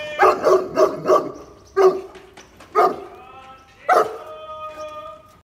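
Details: Saint Bernard puppy giving a quick run of four low barks, then single harsher barks near two, three and four seconds, the last trailing into a faint tonal whine.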